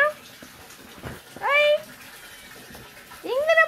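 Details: A house cat meows twice, each a short, clear, rising then falling cry about two seconds apart. Quiet thumps and rustling come between the calls, indoors.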